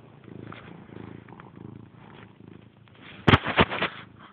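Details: Domestic cat purring while lying in its owner's lap, filmed indoors in the dark on a cellphone: a faint low rumble in soft breath-length bursts about every half second, ending in a sudden loud clatter near the end.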